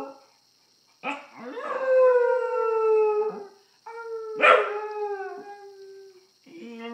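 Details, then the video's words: Howling at an iPhone, a grandmother's pet dog holds long harmonic howls that slide gently downward, one broken by a noisy bark-like burst, with a steady faint high hum behind. "Dog howling at iPhone"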